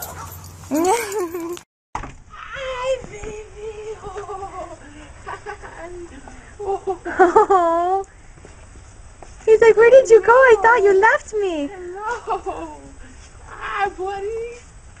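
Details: Dog greeting a soldier returning home after time away, giving excited high whines and yelps that rise and fall in quick bursts, mixed with the soldier's emotional voice calling it close and praising it.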